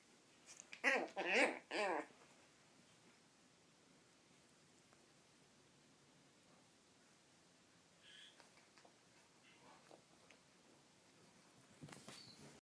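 A Yorkshire Terrier puppy gives three quick, high, wavering yelps that bend up and down in pitch.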